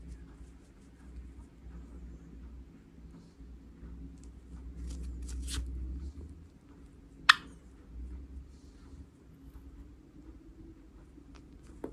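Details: Quiet indoor room with a low hum, soft rustling and one sharp click; no bird calls are heard.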